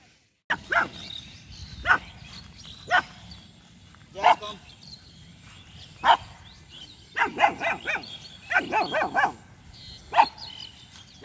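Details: Jass, a two-month-old female German Shepherd puppy, barks in attacking mode at a street dog and buffalo; irregular high barks and quick bursts over outdoor background noise, with some speech.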